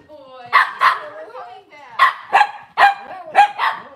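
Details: Cavalier King Charles Spaniel indoors in a kitchen on a cloudy Monday morning. Paired yappy barks repeat about every second, with a thin whine running underneath between them.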